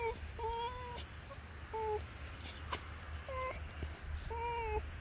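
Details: Fox named Finnegan vocalizing as he is scratched: five drawn-out, level whines that slide downward at the close, spaced roughly a second apart, with a low background hum throughout.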